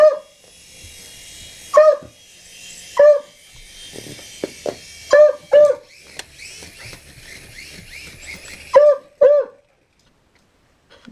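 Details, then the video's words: Dog barking at a helicopter in short bursts: single sharp barks and quick doubled barks spaced irregularly over about nine seconds, with softer murmurs and rustling between them before falling silent. "Dog Barks 4 Helicopter"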